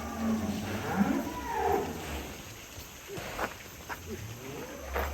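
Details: Large cattle in Indonesia, shown as a rare, scary 'monster' cow that chases people, gives a drawn-out moo in the first two seconds, its harmonic tones rising and falling. Short shouts and calls from men follow.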